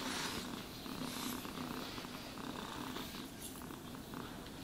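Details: Domestic cat purring while being brushed and groomed: a low, steady rumbling purr pulsing about four times a second, overlaid by soft brushing and scratching strokes of the grooming brush against fur.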